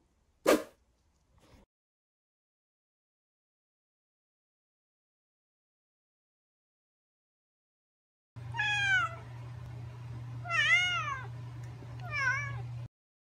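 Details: A British Shorthair cat reacts to coffee and seems to dislike it. A click comes first, then a long silence. Three or four wavering meows follow close together, each rising and falling, over a steady low hum.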